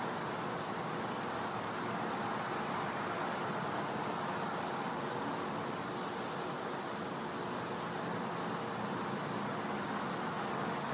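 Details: Winter-night cicadas in a Florida home's back yard: a continuous shrill single-pitched drone without pauses, layered over a steady wash of hiss.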